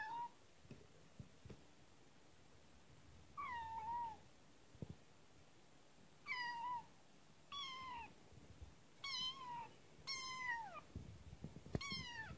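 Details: Young kitten Kotetsu, just brought home, meows repeatedly: seven or so downward-sliding, harmonic-rich cries spaced one to three seconds apart, growing more insistent, over faint thumps and indoor room tone.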